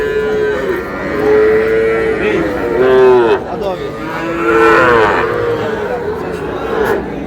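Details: Sahiwal bull calf in Brahmanbaria on 20 May, bought by a local farmer: drawn-out, level moos with rich overtones, one swelling near three seconds and another near five, with little talking behind them.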